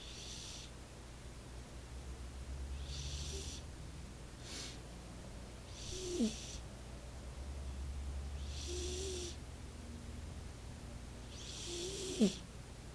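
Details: Sleeping house cat Roxy snores gently, about five airy, rasping breaths spaced roughly every two to three seconds, some ending in a short squeaky catch, with a constant low room hum beneath.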